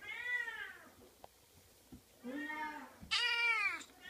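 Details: Oriental kitten giving three meows: a falling cry, a lower drawn-out one, then a loud, shrill, strained meow, with faint clicks between calls.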